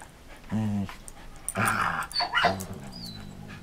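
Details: Marco Polo the Samoyed, six years old and past back surgery, plays with Cisco the Border Collie in 2014: a deep harmonic growl, then a harsh broad bark-like burst and a second rising growl, indoors.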